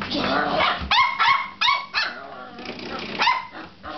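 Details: Pet dog named Molly, a pup, excitedly playing with a door stop indoors: a burst of sharp, harmonic barks, about five in four seconds, irregularly spaced, over a steady low background hum.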